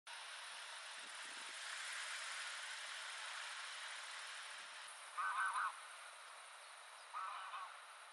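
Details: A water frog (Pelophylax) at Beleven, Netherlands, on 14 July 2022 gives two brief, nasal, quacking croaks over a steady background hiss.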